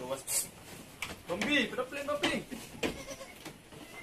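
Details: Anglo-Nubian goats at Terra Grande Farms, San Carlos City, Negros Occidental, Philippines, during kidding, with seven kids born in one day; a wavering, harmonic bleat rises and falls over about a second, with people talking nearby.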